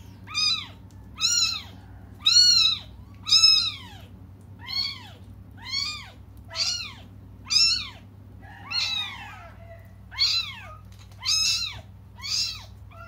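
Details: Young cats crying while waiting for their mother to come back, indoors: loud, high, arching meows repeated about once a second, each rising then falling, a steady low hum underneath.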